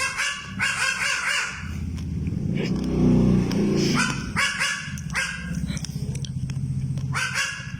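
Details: Baby goat in the Philippines barking like a dog: harsh, harmonic bark bursts in quick runs near the start, middle and end, with a loud low engine-like rumble in between.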